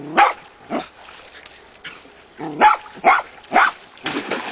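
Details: Several Jack Russell terriers from the Castell'Anselmo breeding kennel bark in scattered, uneven bursts. Short gaps of quiet fall between the louder yaps.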